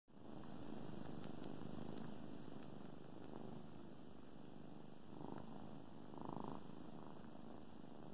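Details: Kittens on their favorite blanket, suckling and purring: a steady low rumbling purr, pulsing about three to four times a second, with soft wet suckling clicks and brief brighter rustles near the end.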